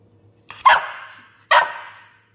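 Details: Labrador Retriever puppy gives two short, sharp barks about a second apart. Each starts with a quick yelp, then fades into a tapering tail. The background is otherwise quiet apart from a faint low hum.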